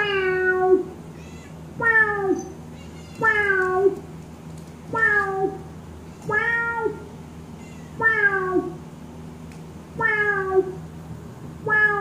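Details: Housecat responding to a synth-made cat sound with a steady run of low, drawn-out meows about every one and a half seconds, each starting strong then dropping and fading, indoors with little else audible.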